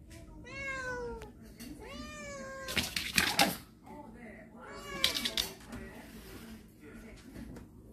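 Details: Cats of a storage-shed family entering the house on October 14: two long falling meows open, broken by loud clattering and rustling, then further softer meows trail off in a small indoor room.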